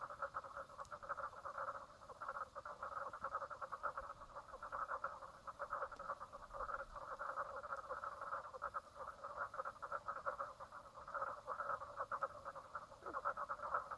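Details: Frog chorus at Brown Lake, Stradbroke Island, Queensland, Australia, recorded 4 March 2017 at 10:55am; continuous rapid pulsed calling from many frogs, a steady throbbing drone with slight swells in loudness.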